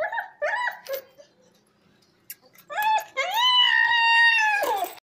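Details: Ill Rottweiler suffering a fever and pain during hospital treatment: short rising whimpers, a pause with faint sounds, then a long, steady, high, nasal whine held about one and a half seconds before dropping off, indoors in a small room.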